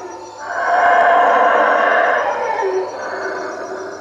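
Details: Nighttime roaring of howler monkeys in treetops over a hut by Lake Peten Itza, Guatemala: a harsh, breathy roar rises quickly, stays strong and steady, then tapers to a softer sustained growl.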